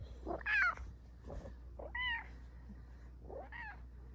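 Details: Silver Bengal cat, female, indoors in her cat cave, meowing in reply when asked to say please, asking for cuddles. Three short, arched, harmonic meows spaced about one and a half seconds apart over a faint low hum.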